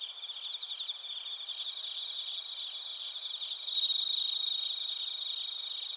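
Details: Crickets and bell crickets recorded in Narita, Chiba Prefecture, Japan; a dense high chorus of steady pulsing trills, with a brighter, louder ringing tone joining midway and continuing to the end.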